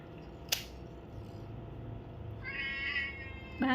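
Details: Domestic cat during an ear-cleaning session, one of four cats being groomed; a single drawn-out harmonic meow late in the clip, preceded by a sharp click and a short rising squeak at the end, over a low room hum.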